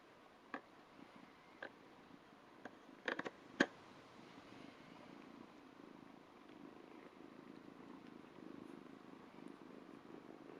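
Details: Ragdoll kitten about two months old purring steadily while licking a hand indoors; a low, even rumbling pulse builds through the second half, with scattered soft clicks and licking noises early on.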